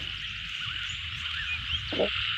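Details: Frogs calling in a rice field: a dense, steady chorus of buzzy trilling calls fills the upper register without a break, over a low rumble, with a brief louder burst near the end.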